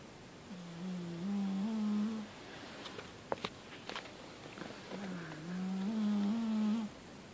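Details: Persian cat snoring: two long, low, humming snores with a slight rise, each lasting nearly two seconds, separated by a quiet pause with a few faint clicks.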